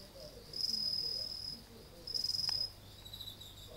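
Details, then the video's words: Night insect chorus outside a front entrance on 30 August 2018 as autumn nears. Two loud, high-pitched trilled bursts roughly a second apart ride over soft, continuous pulsing chirps and a quiet low hum. "虫の声を聴きながら listening to the voice of the insect"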